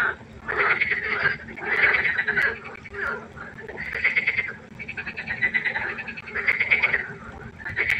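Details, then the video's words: Nighttime frog concert at a pond, with bursts of raspy, pulsing croaks that rise and fall roughly every second or so. Several frogs overlap in a dense, rhythmic chorus over a faint constant hum. "Froschkonzert. Frosch Geräusche quaken. Frösche Geräusche Konzert"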